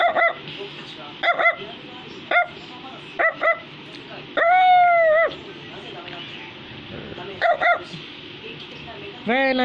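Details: Barking Brussels Griffon gives short sharp yaps in pairs and singles, broken by a long steady whine-like tone midway and a rising wavering cry at the end, over a low background murmur.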